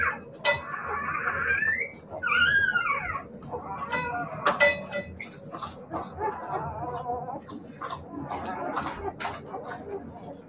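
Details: Siberian Husky puppies whimpering and yipping: a high rising whine, a looping squeal, then softer broken whimpers, with knocks and shuffling noises around them.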